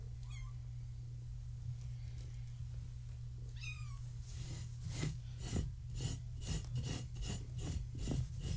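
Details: Kittens born March 14, 2017, with their mother Gaia, a floofy tabby, at bedtime while being visited and played with; two short falling meows early on, then rhythmic scratching and thumping of play over a steady low indoor hum.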